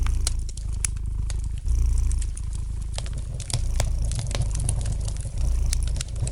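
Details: Domestic cat purring gently beside a fireplace, a steady low rumble that swells and eases with each breath, overlaid by light, sharp crackles and pops from the burning fire.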